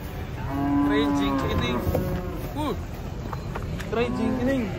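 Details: Cattle unloaded from a truck, a steady low moo followed by shorter bent calls and a second low bellow, amid clattering and handling noise.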